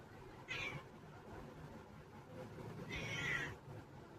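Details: House cat meowing twice, a brief high mew then a longer drawn meow about two and a half seconds later, with low room hum between.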